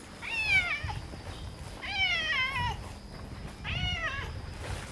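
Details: Red tabby cat outdoors near a park in the early morning, meeting another red tabby; three high, wavering meows, each about half a second long and falling at the end, spaced roughly every two seconds over faint background noise.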